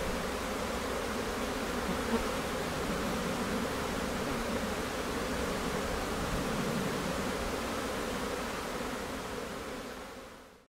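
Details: Honey bee colony in Newfoundland in May, a few days before swarming, bees flowing in and out of the hive; dense, steady broadband hum from many bees, unchanging throughout before fading out at the end.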